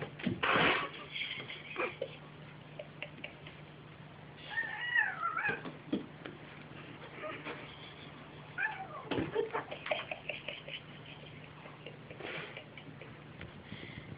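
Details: Two domestic cats, a mother and her son, playing together indoors; loud wavering meows and drawn-out caterwauling cries come in bursts, with some rising and falling yowls, and a steady low hum underneath.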